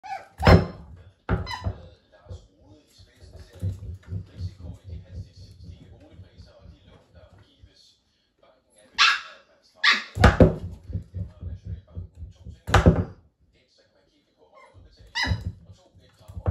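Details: Cairn Terrier puppies playing on a balance board indoors in a small room; short sharp barks come in scattered bursts amid human speech, with thumps and pawing noises between.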